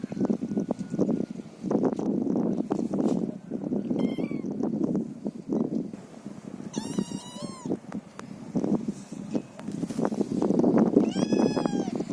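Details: Feral cats meowing: three separate harmonic meows, the first short and falling, the next two longer and arching, spaced a few seconds apart over steady crunching and rustling noise close by.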